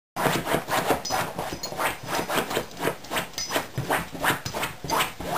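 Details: Beagle named Alvin in early autumn, playing with a toy during chest-muscle exercise; rhythmic breathy panting bursts roughly three per second, with rubbing and shuffling noises close by.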